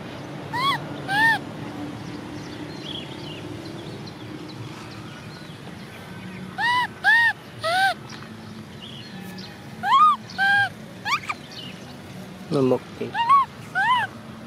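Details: Crying of Cola, an orphaned baby monkey macaque who wants to ride a bike: clustered arched, plaintive coos, some sharper rising squeals, repeated irregularly over a constant low hum.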